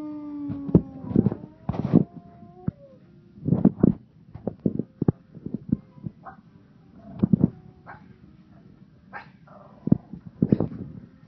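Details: Several Pomeranians howling together, with sharp yips and short barks in irregular clusters mixed with brief high, wavering whining tones, in bursts separated by short pauses.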